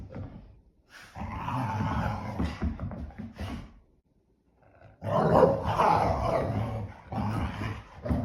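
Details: English Springer Spaniels, two dogs kept inside by rain, play in the house; harsh throaty growling runs in long bursts, breaks off into near silence for about a second, then resumes louder.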